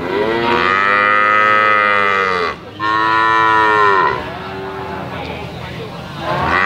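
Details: Calf lowing in long, loud, harmonic-rich moos, two drawn-out calls separated by a brief pause, the second tapering into a quieter trailing bleat.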